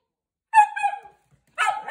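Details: Italian Greyhound "speaking": a tonal, whiny yowl with a wavering pitch lasts about half a second, then a brief pause, then a harsher, noisier burst of yodelling vocal sound.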